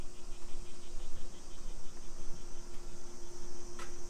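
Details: Summer cicadas in a suburban neighborhood of Nisshin city near Nagoya, Aichi Prefecture, Japan, at 2 PM on 28 July 2021: a steady, high-pitched droning hiss with a faint rapid pulsing, over a low outdoor rumble from a street walk.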